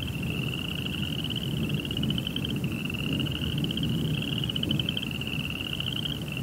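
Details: Night cricket chorus: an unbroken, fast-pulsing high-pitched trill with a brief break near the middle, a fainter lower echo of the pulses, and a constant low rumble beneath.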